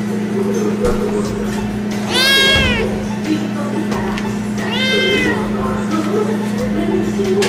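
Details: Kittens meowing: two drawn-out harmonic meows rising and falling, around two and five seconds, amid a noisy background of chatter, music and a constant low hum.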